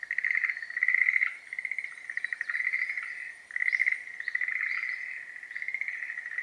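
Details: Schlegel's green tree frogs during breeding season. Overlapping pulsed, rattling trill bursts repeat steadily. Faint high chirps, possibly birds, sound above the chorus in the second half.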